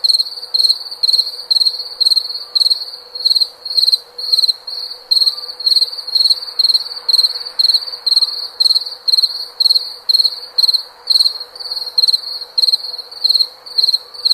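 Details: Cricket giving a long run of shrill, pulsed chirps at roughly two per second, fairly even in loudness throughout, over a light hissing background.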